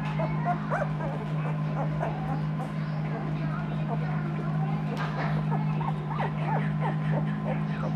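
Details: A litter of Noble Asian Bear puppies, two weeks old, crossbred from Asian Bear Dog and Caucasian Ovcharka lines, squeaks and whines continuously. Overlapping rising-and-falling whimpers come several per second, with a constant low hum beneath.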